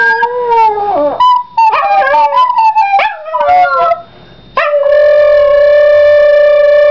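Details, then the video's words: Yorkshire terrier, a pet dog, singing along with a recorder: wavering, sliding howls with yelping breaks for about four seconds, then a brief pause before a steady, flat recorder note takes over. "Yorkie sings for first time!!!!!!"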